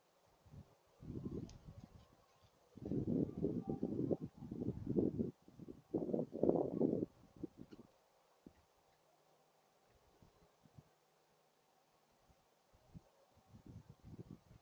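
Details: Two gray foxes communicating with each other trade harsh, low, growling bursts in quick clusters, then fall quiet.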